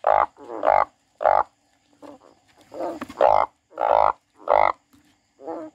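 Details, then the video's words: Frog giving harsh, nasal croaks in irregular bursts, some doubled, with brief quieter grunting sounds between them. "The frog crying"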